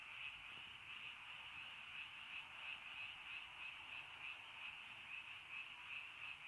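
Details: Countryside frogs on a rainy early night, calling together in a thick, steady trilling chorus that pulses quickly and never pauses.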